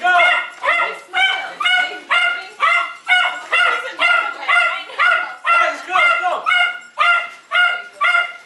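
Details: Jack Russell Terrier, a dog said to be annoying and to have dependency issues, yelps insistently: about seventeen sharp, high, ringing cries in eight seconds, each clipped and evenly spaced, with a steady, almost mechanical rhythm.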